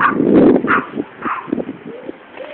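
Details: Two small Yorkshire Terriers on a residential road, 28 March 2007, bark at a passer-by walking to the bus stop: a run of sharp, high yappy barks.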